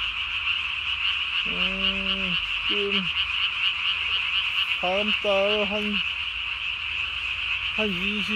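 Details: Japanese tree frog calling at night on 3 May 2020, its vocal sac under the chin inflated to the size of its body; separate harmonic croaking notes come in short bursts, some level and some bending downward, over a steady high-pitched background hum.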